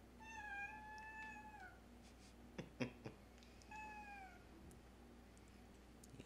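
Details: Domestic cat lounging and talkative on a very warm, sunny day, giving a drawn-out meow that slides slightly downward, a few soft clicks, then a second, shorter meow, all indoors against a steady low hum.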